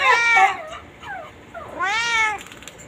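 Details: A playful white pet cat, kept chained, gives two loud, drawn-out meows, each rising then falling, about 1.5 seconds apart, with a faint higher squeak between them in a quiet room.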